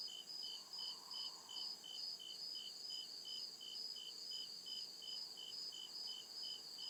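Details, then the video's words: Night chorus of crickets deep in the forest, a bright rhythmic chirp pulsing roughly two and a half times per second against an unbroken shrill trill, with a soft murmur rising and fading lower down. "CRICKET CHIRPING SOUND"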